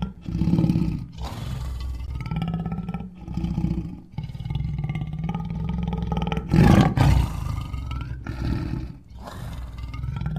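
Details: Deep lion roars from July 2016, a run of gruff low grunts and longer rumbling roars with breathy gaps, one especially loud burst around the middle.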